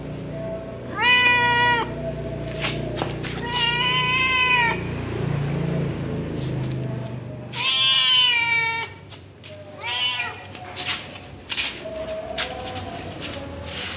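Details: Domestic cat named Cimoi giving birth to kittens, meowing in four loud harmonic calls roughly every three seconds, each rising then falling, over a low steady hum and soft clicks.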